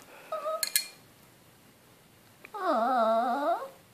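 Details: Small Chihuahua mix named Uffe, indoors in a small room and eager for beer, gives a brief tonal yelp, then after a pause a sustained, wavering, harmonic howl-like whine lasting about a second.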